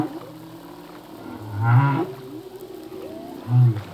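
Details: Humpback whale song at sea from a singing male: two deep low grunts about two seconds apart, with faint sliding whistles and a brief harmonic burst amid a hissing background.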